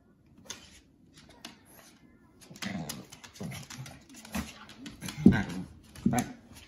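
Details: Pet Shih Tzu/Pekingese and German Shorthaired Pointer wrestle in a play fight for affection; short throaty growls repeat irregularly, building toward a sharper snarl, with light scuffling.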